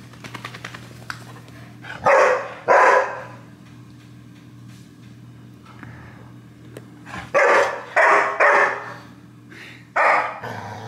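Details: Golden retriever puppy throwing a tantrum after getting wet from a bath indoors: sharp, loud barks in short clusters, two near the start and four later, over a steady low electrical hum with faint household rustling.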